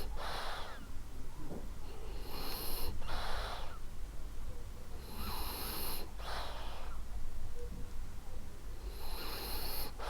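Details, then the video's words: French Bulldog Ariva, a female, sleeping and snoring gently: soft wheezy breaths in a slow rhythm, each rasping snore followed by a brief pause, breathy and hissing, indoors with no other sounds. "Cute Snoring French Bulldog"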